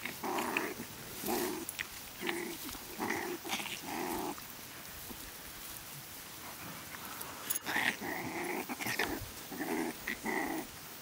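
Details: One-month-old Staffordshire Bull Terrier puppies from a litter of eight, one male and seven females, in PACA, France, at the age of play and discovery. Repeated short, rough, tonal growling bursts with brief pauses, then a denser run of growls after a sharp click.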